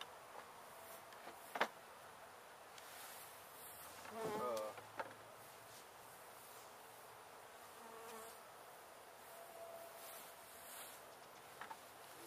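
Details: Window hive of honey bees in Edinburg, Texas, buzzing steadily while being moved to a new box; an even hum broken by a sharp tap and a short scraping burst near the middle.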